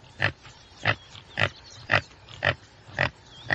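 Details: Common tsessebe giving short, harsh grunting calls repeated at a steady pace, about two per second, each a broad burst with a low base and a bright upper edge.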